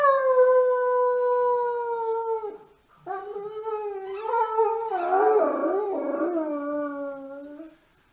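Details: Great Dane giving sustained howls: a long steady tone sliding gently downward, a brief pause, then a rougher, wavering howl with a throaty break in the middle before fading out.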